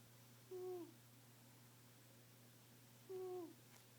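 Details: Snoring female pet cat: two short whistle-like nasal wheezes, each about a third of a second and dipping slightly in pitch, spaced about two and a half seconds apart over a steady low electrical hum.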